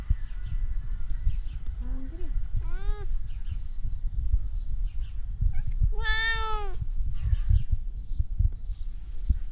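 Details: Tabby cat wanting its food meows several times: short rising-falling cries, then one loud, bright, arched meow lasting under a second. Low background rumble and faint high chirps come through between calls.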